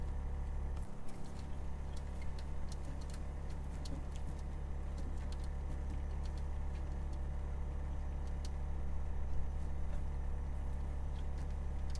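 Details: Only a steady low engine-like hum with scattered faint ticking clicks is heard, and no animal voice.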